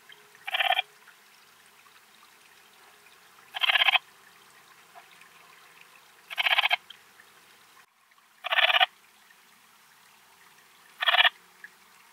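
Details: Antaxius difformis, the Eastern Mountain Bush-cricket, recorded at Timmelsjoch, Italy, 26 August 2022, giving five brief rasping pulsed chirps spaced about two and a half to three seconds apart, with near silence between them.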